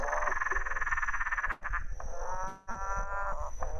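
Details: A green and golden bell frog, the "motorbike frog," gives long, pulsed, growling calls like a motorbike starting up, heard at ponds in spring and summer; cackling from other frogs sounds in the background.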